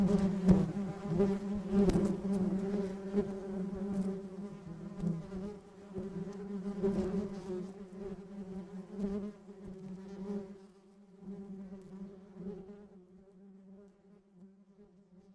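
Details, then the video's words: A bee buzzing in flight, loud and busy at first with scattered crackles. The drone thins out and fades steadily toward a quiet, distant hum by the end. "Flying Bee Sound Effect"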